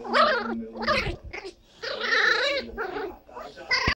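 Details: Teacup Chihuahua puppy Princess Esmeralda, a female, makes drawn-out, wavering yowls and a clipped yip at the end. A low steady hum runs beneath the first second.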